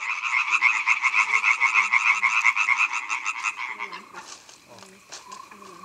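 A male European tree frog calls with a fast, loud series of harsh, rattling knocks.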